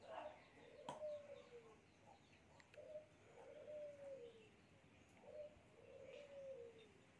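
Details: Cats being fed give a run of faint, drawn-out meows, each rising briefly and then sliding down in pitch, repeated several times over a few seconds against a soft background hiss.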